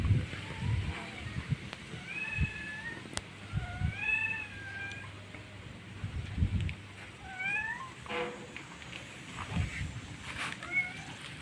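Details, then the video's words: Cat with a nursing kitten; a series of thin, rising-and-falling mews in quick succession, about eight in total, over a low rumbling hum, with a sharp click and faint background noise. "the kitten is nursing"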